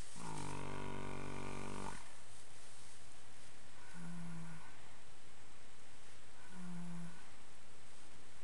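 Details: Resting foxtrotter horse, ten years old and male, humming and snoring as he dozes in old hay piles in the afternoon; a two-second low tonal drone, then two softer brief hums a few seconds apart.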